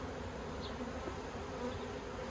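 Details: Honey bees at a yellow hive with plastic frames in Australia, 9 October 2021, making a dense, steady low hum with a broad hiss above it.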